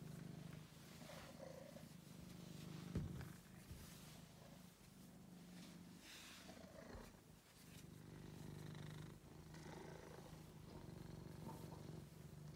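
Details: Deep vibrating purr from Angelus, a friendly male pet cat once found ill and thin in a basement; the rhythmic rumble continues with short pauses and a few rustling bumps close by.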